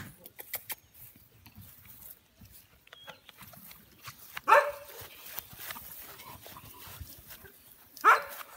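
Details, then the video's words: Young American Bully puppies produce two short, sharp yelping whines about three and a half seconds apart over a quiet indoor background with faint rustling. "American bully puppies"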